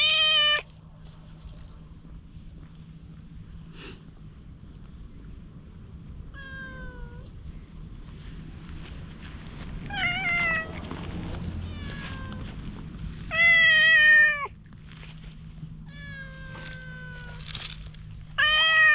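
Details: Cautious stray cat, approached with a cat grooming comb and recorded by GoPro, utters scattered meows across nineteen seconds, some short and some drawn out and falling, with a soft rustling background between calls.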